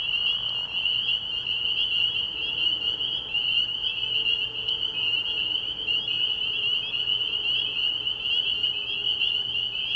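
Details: A night chorus of spring peepers at a frog pond early in the year, many high piping calls overlapping into an unbroken shrill drone, with a faint low hum beneath and no other clear sounds.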